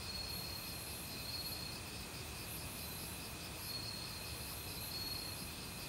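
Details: Autumn crickets in a forest, calling loudly with various other insects. Pulsed, trilled chirps repeat about every second over a steady high whine, all above a constant rushing stream.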